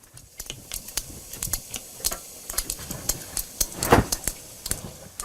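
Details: Several sperm whales diving beneath the boat in the Mediterranean, picked up by hydrophone, make very regular orientation clicks of roughly equal rhythm but slightly offset: sharp broadband clicks repeating several times a second over faint sea noise.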